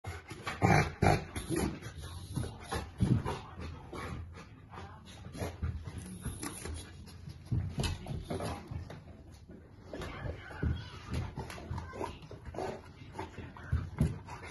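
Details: Central Asian Shepherd puppies playing, giving scattered soft whimpers, snuffles and low growly grunts among irregular thumps and scuffling, quiet between louder bursts.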